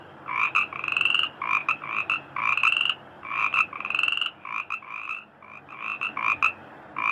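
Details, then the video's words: Frogs calling in rice fields, heard as a dense chorus of nasal, tonal croaks. The croaks run in short bursts and long drawn notes that overlap almost without pause over a faint steady background hiss. "suara katak di sawah merdu"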